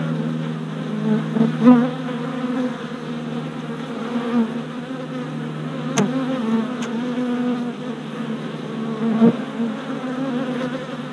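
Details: Honey bee workers on orientation flights around a newly installed hive in late April; a continuous low buzzing drone from many bees, pitch wavering slightly, with a few louder swells as individuals pass close and two sharp clicks midway.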